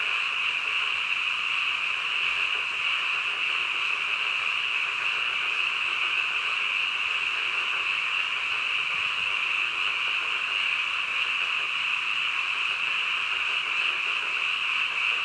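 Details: Frogs at midnight in full chorus: countless overlapping calls merge into a steady, even, high buzzing wash that holds unchanged for the whole stretch, without other noticeable sounds.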